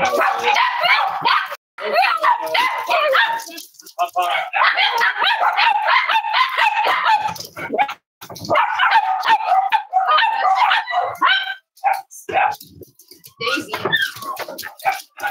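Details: Cavalier King Charles Spaniel puppies yip and whine on a snowy Saturday morning, a busy run of high, wavering, arched cries with brief pauses, while a person talks over and between them.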